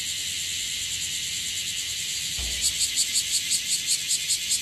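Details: Bear cicadas (Cryptotympana facialis) in Okinawa, more numerous than the day before, fill the air with a loud, harsh buzzing that breaks into rapid pulsing shrills.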